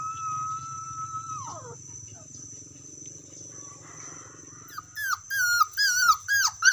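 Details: Dog calling to its friend: a long, level, high whine that drops away after a second and a half, then a quiet stretch, then a string of loud, sharp, falling yelps at the end.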